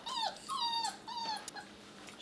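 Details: A six-week-old puppy whimpers in three clear, tonal whines, each sliding down in pitch, the middle one the longest, followed by faint scuffling and a quiet click.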